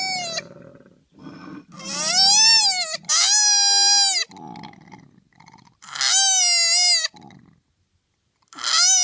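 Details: Koala joey, chased out of its tree, gives long, piercing, strongly harmonic wails that bend upward and then level off, broken by short gravelly breaths and a brief silence.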